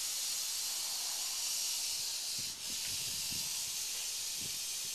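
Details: Crotalus oreganus, the northern Pacific rattlesnake, hissing without a break: an even, airy rush of high-pitched noise holding steady for five seconds, with faint low thumps underneath.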